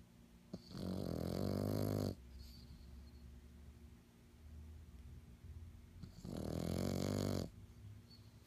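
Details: A black pug showing stress screams twice, each a raspy, droning cry of about 1.5 seconds, separated by four seconds of soft room noise.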